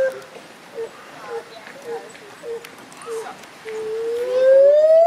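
A gibbon gives a run of short, evenly spaced hoots, then one long, steadily rising whoop.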